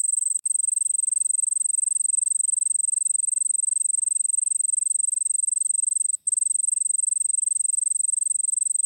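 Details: Crickets recorded in the Nilgiris of India give a continuous, piercing high-pitched trill of fast regular pulses. There is a brief click near the start and a short break around six seconds before the ringing resumes.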